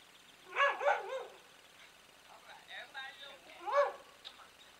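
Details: Big friendly dogs giving a pair of loud barks, then quieter vocal sounds, and another single bark near the end.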